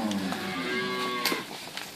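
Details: Cows from Inverland and La Florida, some with calves and some pregnant, seen in March 2014. A lowing moo with stacked harmonics lasts about one and a quarter seconds, then fades into quieter background with a man talking.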